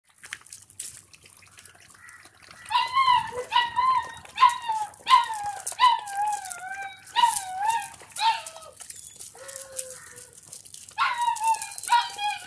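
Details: Doberman puppy indoors, eating milk and playing in the house; a series of high, tonal whimpering whines, each sliding downward, repeated irregularly about once a second after a quiet start, with faint clicks and handling noise.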